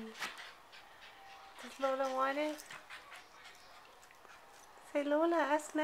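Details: Lola, a pet dog, whines while trying to get the bone of Louie, another dog. Two drawn-out, wavering, moan-like whines with rich harmonics, each under a second long, are separated by quiet, with faint clicks and rustling in between.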